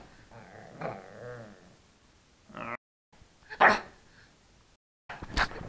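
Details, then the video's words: A 3-month-old pug puppy trying to bark gives a few short, breathy barks and a soft whining growl. "Pug Puppy Barking (Turbo the Pug)"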